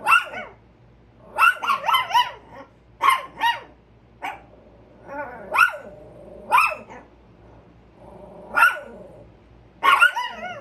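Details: Two Chihuahuas give sharp, high-pitched yapping barks in quick uneven bursts, alerting to a squirrel.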